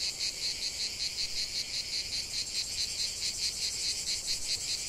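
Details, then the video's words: Lavender-field cicadas give a strident high buzz pulsing rhythmically several times a second, the beats slightly uneven, over a constant background drone of more distant singers. "ce chant de CIGALES au cœur d'un champ de lavande"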